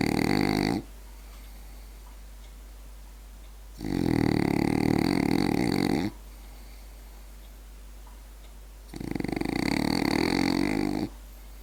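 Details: Asleep, the French Bulldog Berti gives three loud rattling snores, each lasting about two seconds, spaced by quiet gaps of roughly three seconds in a small indoor room.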